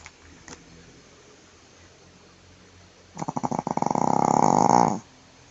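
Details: A quiet room with a faint tick near the start, then Jade, a female Shih Tzu sleeping belly-up and snoring heavily, lets out a single rasping snore that begins as stuttering pulses and turns into a smooth buzzing tone.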